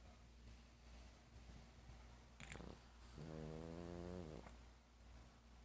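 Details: Elderly 12-year-old dog asleep and dreaming, a nightly snorer: a faint low rumble, then a short run of stacked, wavering nasal tones lasting about a second, over steady low background hum.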